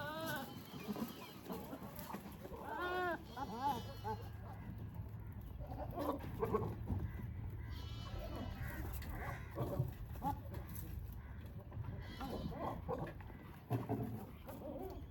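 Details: Goats in mating season, where males court females with strange sounds while pregnant females graze: a series of short wavering bleats spread through the clip, with low rumbling, rustling and other farmyard noise underneath.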